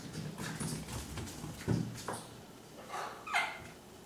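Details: Miniature Schnauzer puppies, six weeks old, romping and wrestling in play; low grumbling scuffles and paw noise lead into a single bright, high yelp near the end.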